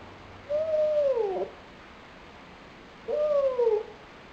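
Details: Nine-month-old pet dog crying out of loneliness, recorded February 2007: two separate whimpering cries about two and a half seconds apart, each held briefly then dropping in pitch at the end.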